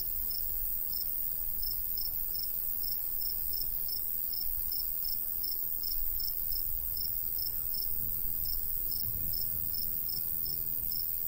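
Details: Summer countryside crickets chirping in a golden wheat field, a light breeze blowing: an even train of high, bright pulses, roughly three per second, carried over steady low wind noise that swells slightly near the end.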